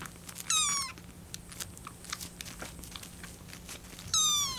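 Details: Kitten Lucy, a rescued kitten on its 25th day in care, meows while waiting for milk to cool: two high, trembling calls with a bird-like vibrato, one early and one at the end, over faint room clatter and small knocks.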